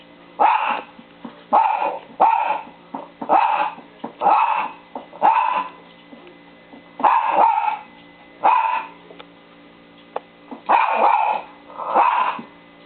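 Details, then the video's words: Pet dog barking steadily, showing friends how she barks: about eleven sharp, mid-pitched barks in a loose rhythm roughly one per second, with a short pause near the middle and faint background music. "SUSIE LOBO BARKING AWAY"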